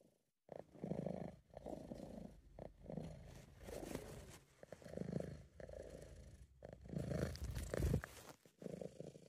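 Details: British Shorthair cat purring when relaxed and pleased: near-continuous deep, coarse rumbling that swells roughly every second or so with breathing, over a faint steady background hiss, captured on an amateur recording.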